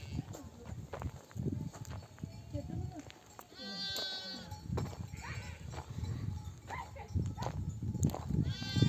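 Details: Nomadic flock returning from pasture in oak desert country, mother sheep bleating for their lambs to suckle. Scattered bleats, a clear ringing one midway and another at the end, with constant low rumble and shuffling beneath.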